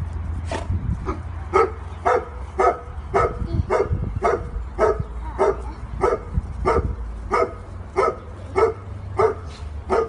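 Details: Vizsla gang playfully mobbing a toddler of one and a half with kisses; sharp barks repeat steadily, nearly two per second, across the whole stretch, over a low rumbling background.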